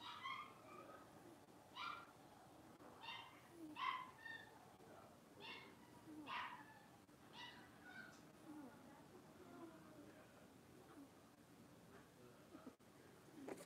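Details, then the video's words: Blenheim Cavalier King Charles Spaniel puppies, a litter of five born on New Year's, playing in an indoor puppy pen; short high yelping barks repeat roughly every second, some louder, over a steady low household hum. "Cavalier Puppies Livestream: Playing, Barking, and Learning"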